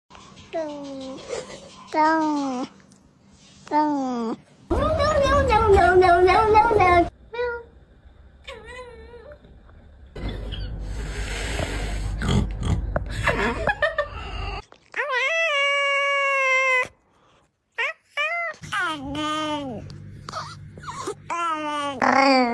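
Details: Cat giving a run of drawn-out, wavering meows and yowls, some rising then falling, others short and chirpy, mixed with human talking and bursts of loud noise between calls.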